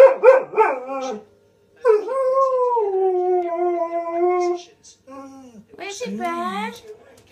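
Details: An Alaskan Malamute–husky cross dog answers wolves howling on a TV programme with short yips and a long, wavering, slowly falling howl, as if talking back.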